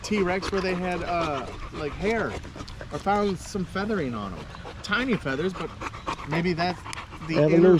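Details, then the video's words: Several male dogs including a Staffordshire Bull Terrier at the park on a long evening: a steady stream of arched, rising-then-falling whines and moans, with panting throughout. "Long evening at the park male wolf pack chat"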